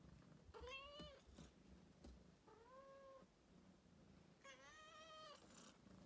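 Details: Indoor rescue cat meowing three times, two seconds apart. The middle meow is softer and shorter, and the last is the strongest. Light low background hum.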